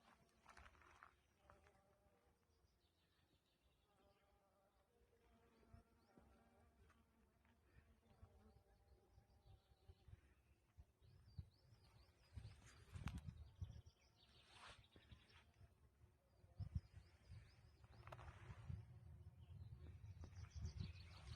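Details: Bees hum among wild flowers with a low, droning buzz that swells and fades as they pass close.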